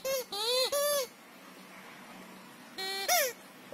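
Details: Shira, a female Siberian Husky, plays with a Nerf squeaker football. Three short arched whining yelps come in quick succession, then a pause of quiet room noise, and then two more rising-and-falling whines.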